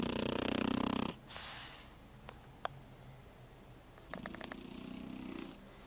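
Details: A French Bulldog puppy snoring: a rough, raspy inhaled snore with a faint whistle, a quiet pause with small clicks, then another buzzing snore.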